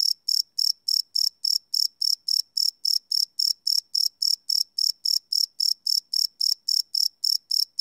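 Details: Crickets chirping at night, recorded live on a field recorder with no loops: a continuous, even train of bright, high pulses, about four each second, nothing else audible.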